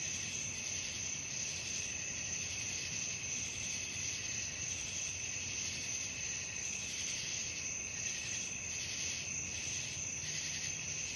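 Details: Crickets at night, a dense chorus of high, shrill trilling held as continuous bands, pulsing in loudness roughly three times a second, with a steady low background hiss underneath.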